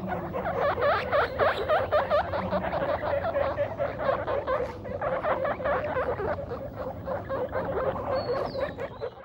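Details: Guinea pig father meeting his babies for the first time, giving loud squeaks: a fast, uneven run of short harmonic squeaks and chirps, repeated several times a second for about nine seconds, with a thin rising whistle near the end.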